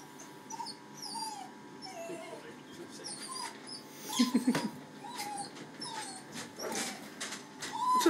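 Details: Zac the Maltese cross, upset at his first hydrobath, gives short high whimpers and yelps in a rapid irregular series, with splashing water and a humming motor behind.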